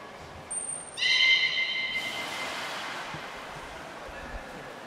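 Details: Captive beluga at Port of Nagoya Public Aquarium, 18 February 2024, during a feeding and play session: a steady, pure, high whistle holds for about a second, with a brief thin higher tone just before it, over soft background hubbub.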